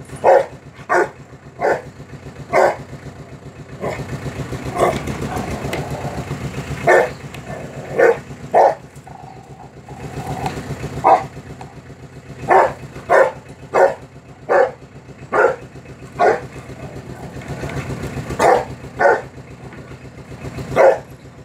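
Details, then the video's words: Long bout of angry dog barking, some twenty-five short, harsh barks in uneven runs with brief pauses, over continuous low vehicle engine noise. "Angry Dog reactions"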